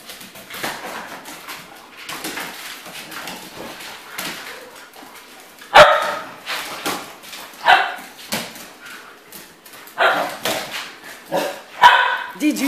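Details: Dogs in the morning, a few sharp barks and yips scattered irregularly, louder bursts near six, ten and twelve seconds over quieter background rustling.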